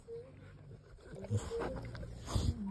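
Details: Two Rottweilers, Bear and Luna, squabble over attention in bed, growling in low, rumbling bursts while a person talks.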